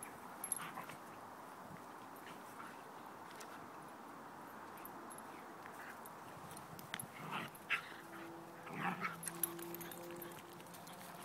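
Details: Husky pups playing together at home; a quiet room hum, then soft whimpering and drawn-out whines near the end of the recording, with a few low tonal moans and brief yips.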